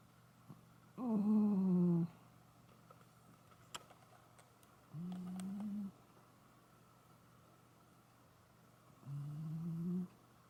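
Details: Koume, a female Shiba Inu, snores while asleep in a quiet room: three long, low, droning snores about a second each, roughly every four seconds, with faint ticks and clicks between them.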